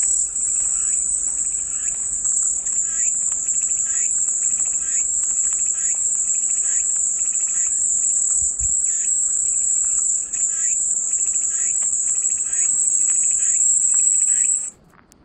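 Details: Cicada chorus as a dense, high, unwavering drone for about fourteen seconds, accompanied by quick repeated lower chirps, then ending abruptly into near silence.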